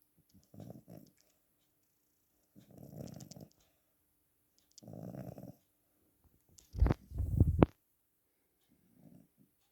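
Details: Snoring cat with soft low rasping breaths spaced a few seconds apart, then one louder, harsher snort-like breath near the end before quieter breathing resumes.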